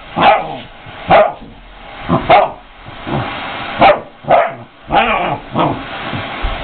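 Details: Family puppy excited by the vacuum cleaner gives loud, sharp barks in irregular bursts, some single and some in quick pairs. Indoors, with no other clear sounds.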